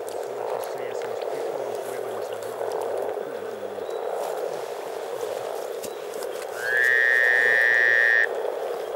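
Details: In spring at Teisko, Pirkanmaa, Finland, over 300 frogs keep up a thick, pulsing chorus of low bubbling croaks. Late on, a loud, steady high tone with a slight rising start holds for about two seconds.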